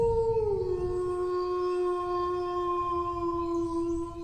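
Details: One dog howls in a single continuous note, dipping slightly early on and then holding almost perfectly steady for nearly four seconds, with low background rumble.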